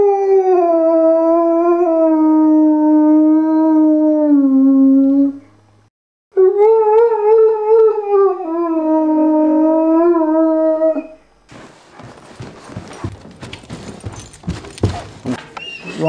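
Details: Liam, a pet Irish Wolfhound, singing: long smooth tonal howls around a steady mid pitch, slowly falling then rising, two drawn-out phrases separated by a short pause, followed by a few seconds of rustling and handling noise.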